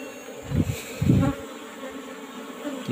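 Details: Honey harvest from an Apis cerana colony housed in an old-fashioned hive box: a continuous droning buzz, broken by two dull thuds of handling around the first second.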